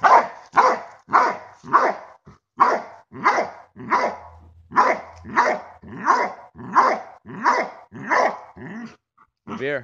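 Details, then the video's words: Belgian Malinois in bark and hold training, giving a long series of rough, evenly paced barks, roughly fifteen in ten seconds, with a man's voice praising the dog at the end. "Malinois bark and hold."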